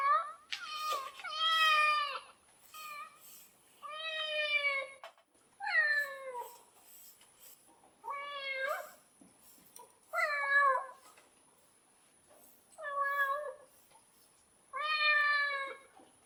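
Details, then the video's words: Domestic cat meowing repeatedly indoors, eight or nine separate mews spaced one to two seconds apart, some bending downward in pitch, others flat and clear, fairly loud against a quiet background. "Real Cat sound effect"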